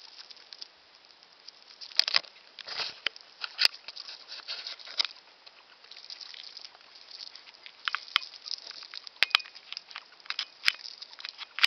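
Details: Gnawing and crunching from Fufu, a male pet hamster aged around one year, while he eats: dense bursts of dry, scratchy chewing clicks with short pauses and a few sharp isolated ticks.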